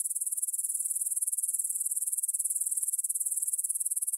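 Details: Grasshoppers stridulating in a meadow field near the Svensky monastery in Bryansk, Russia, at 9pm on September 6, 2020, recorded on a Tascam DR-44WL; a steady high-pitched shimmering buzz with rapid pulsing, continuous throughout, no other sounds.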